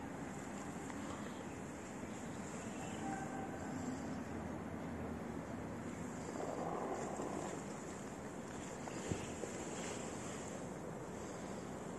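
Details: Steady outdoor wind rumble and broadband background noise, like traffic or surf, with one soft knock, and no animal calls.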